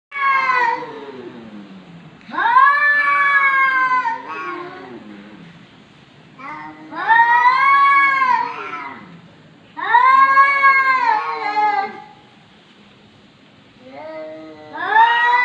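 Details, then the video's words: Domestic cat said to be talking, recorded in 2020: long drawn-out meows with rich stacked harmonics, rising then falling, arriving in four loud bouts roughly every four seconds with quieter trailing wails between. "KUCING BERCAKAP"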